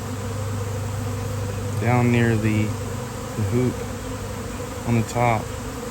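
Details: Swarm of honeybees landing on a basketball hoop in nice weather; steady low buzzing hum throughout, interrupted by short bursts of human voices talking nearby.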